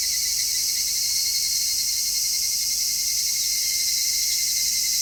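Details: Constant, even cicada song on a midsummer day, recorded in stereo with an MKH-416 microphone: a bright, sizzling wall of sound with a finer rattling band beneath.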